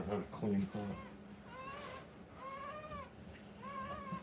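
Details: Rottweiler puppies at a live birth: a brief burst of human speech, then three drawn-out, wavering high whines, each about half a second long, over a low indoor hum.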